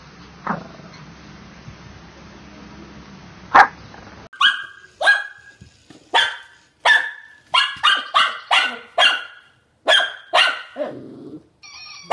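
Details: Shih Tzu barking in a compilation: after about four seconds of hissy background noise, a run of sharp, high yapping barks comes in quick bursts, ending with a short lower whine.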